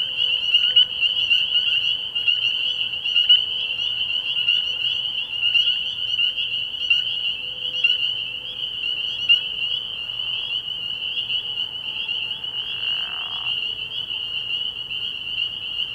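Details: Spring peepers chorusing at night early in the year at a frog pond: a dense, continuous wall of high shrill peeps that merges into one steady ringing band, with a brief lower rasping burst near the end and a faint low hum.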